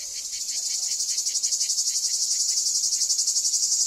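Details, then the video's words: Cicadas in summer at Ancient Corinth's archaeological site, Greece, singing a loud, high, grating buzz that throbs in quick regular pulses, about four per second, growing slightly louder. "A Cicadas' Song in Ancient Corinth"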